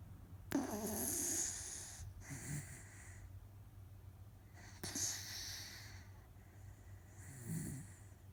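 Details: Pet Miniature Dachshund named Otofu, a rescue dog, snoring loudly while deeply asleep, apparently tired; rasping broad-band snores come in bursts about every two to three seconds, with a quiet room between breaths.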